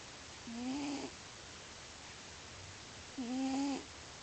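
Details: Pet cat Lio snores loudly in his sleep: two nasal, whistly snores, each a rising, slightly wavering tone lasting about half a second, separated by roughly two and a half seconds of near quiet.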